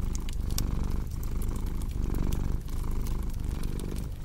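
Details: Close, rumbling purr of a domestic cat, deep and buzzy with clear breath-by-breath pulses about every half second, accompanied by light crackling from a burning fireplace.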